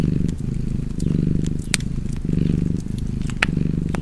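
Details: Domestic cat purring steadily beside a crackling fireplace, a low rumbling purr that swells and fades with each breath about once a second, sharp pops and snaps of burning wood scattered over the top.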